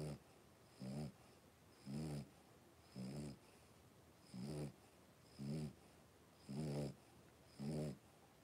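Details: Five 3-week-old blenheim Cavalier King Charles Spaniel puppies, born on New Year's, in an indoor puppy pen; low, harmonic, snore-like grunting breaths repeat roughly once a second, steady and even, with a faint high hiss in the background.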